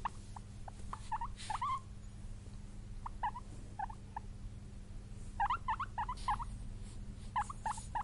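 A guinea pig gives quick, repeated high squeaks and short wheeks in irregular bursts, sounding excited.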